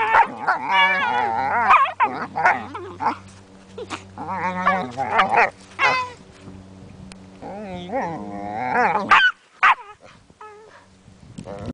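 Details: An 8-month-old Border Collie and a 9-week-old Weimaraner wrestling in play: repeated warbling growls, whines and high yips in quick bursts, pausing briefly before a few last yelps, with a steady hum underneath.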